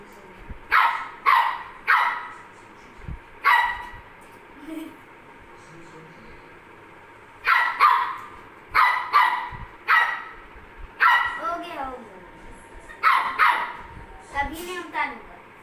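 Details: Maltese dog barking in bursts of two or three sharp, high barks, with pauses of several seconds between groups and some whiny, wavering yelps near the end; a faint steady tone runs underneath.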